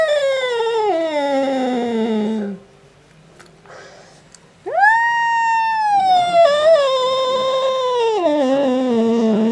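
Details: Angry male house cat yowling at a black cat resting outside: a long, loud wail sliding downward, a pause, then a sudden rising scream that holds and slowly sags, like an old lady screaming.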